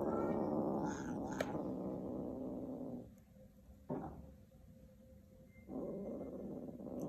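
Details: Kittens contesting a shoelace produce a harsh, continuous growl that drops away briefly, then resumes, with a sharp click and soft scuffling in the pause.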